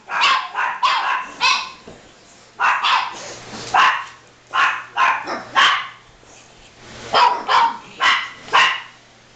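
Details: Pet dogs running about and barking for no apparent reason: clusters of two or three sharp barks separated by brief pauses, a low steady hum underneath.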